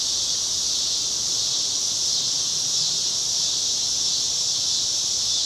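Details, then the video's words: Cicadas sing on a residential Chicago street on a cloudy evening in August 2010, their dense high buzzing holding as one continuous shimmering drone with gentle rises in loudness and no other clear sounds. "Chicago Summer 2010 Cicadas - Evening"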